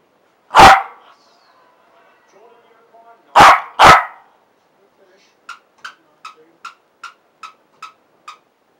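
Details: Fergus, a Parson Russell Terrier at play, recorded 7/1/15: one sharp bark, then a close double bark a few seconds later, with faint voices between. A run of eight quick, light clicking ticks follows at an even pace.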